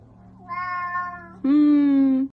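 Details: Pet cat indoors meows twice: a softer wavering meow, then a loud, long, steady, drawn-out meow that ends abruptly, with a person speaking Russian just before.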